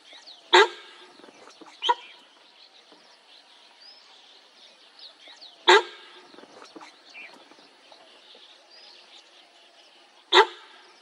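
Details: Sambar deer alarm calls during a tiger sighting in Corbett National Park: sharp, loud single barks spaced about five seconds apart, three in all, with soft birdsong chirps in the quiet background.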